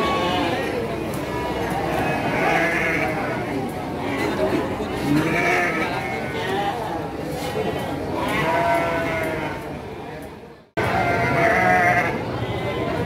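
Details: Garut (Priangan) breed ewes at the Andir sheep and goat market, Garut, 5/4/2021: loud, tremulous bleats come every few seconds, each a wavering nasal cry, set against steady background conversation and market bustle.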